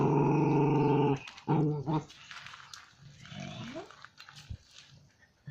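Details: Drooling dog growling: a low, buzzy, harmonic rumble sustained for about a second, a shorter second growl, then quieter rough noises and faint human voices in an indoor space.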